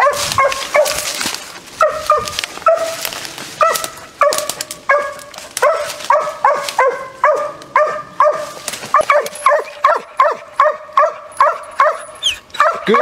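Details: Six-month-old dog barking while treeing a raccoon, its fifth and sixth coon: loud, clipped barks with a steady ringing tone, first in a ragged burst, then settling into a regular beat about twice per second.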